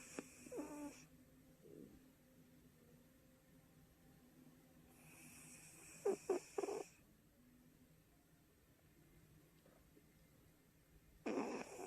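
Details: Shih Tzu puppy Kong snoring while asleep at home, giving three short raspy snore bursts at the start, middle and end, the middle one broken into quick stuttering pulses, with quiet room hush between them.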